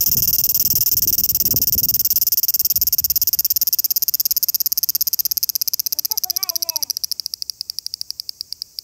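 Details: A cicada in summer sings a loud, hissing, high-pitched buzz that breaks into slowing pulses near the end.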